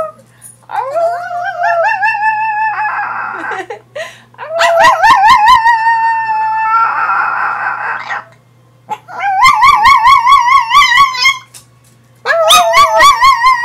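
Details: Sailor, a female pet Chihuahua, 'sings' in high, wavering howls with a quick vibrato. Several drawn-out notes come in bursts separated by short silences, with breathy, hissing passages between some of them.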